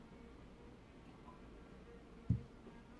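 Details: A quiet low hum with a single soft tick near the end, and no animal voice.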